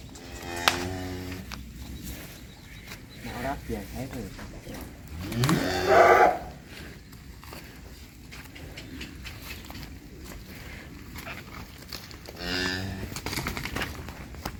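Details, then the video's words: Sacrificial cattle for Qurban in Indonesia lowing: a deep droning moo early, a long louder rising moo near six seconds, and another low moo near the end, over steady background noise. "SAPI QURBAN"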